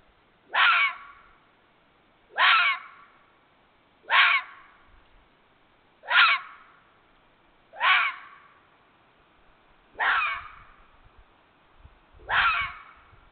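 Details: A red fox, a vixen, gives hoarse, whining cries repeated roughly every two seconds, recorded on 31 January 2022.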